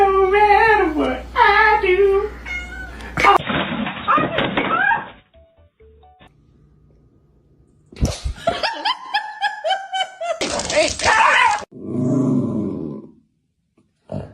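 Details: Domestic cat from a funny-cat meme compilation, giving several wavering, drawn-out meows in the opening seconds, then choppy edited bursts of higher, sliding cries, interrupted by music, noisy stretches and a quiet gap.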